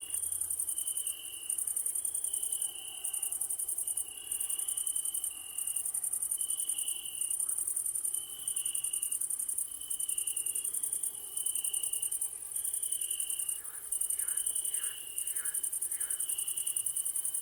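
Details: Crickets chirping in an evening ambience: a steady, very high shrill hiss runs throughout, over a lower, pulsing trill that comes in bursts of about a second. Near the end, a few short descending notes, possibly frogs, are heard.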